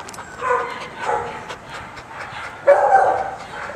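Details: Three separated dog barks sound across a few seconds, the last one the loudest and sharpest. Spanish-speaking voices are faintly nearby.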